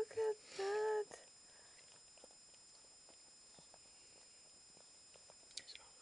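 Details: Newborn Chihuahua puppy during Sweet Pea's litter of three, indoors: two short, high, squeaky whines with a bending pitch in the first second, then near silence with faint rustling and soft whispering.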